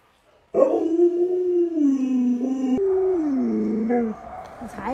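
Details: Alaskan Malamute named Luoluo vocalising to rouse its owner who stays in bed though the sun is already high; a long, drawn-out, wavering howl with rich overtones, sliding downward, breaking, then gliding down again before fading.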